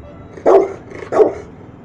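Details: Two strong, low barks from a one-year-old Rottweiler told to "speak" while being trained, spaced under a second apart, with faint steady hum behind.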